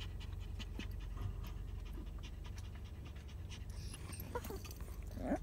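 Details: Chihuahua eager to be let out to play, panting with quick breathy pulses throughout, a few soft higher squeaks near the end over low indoor hum.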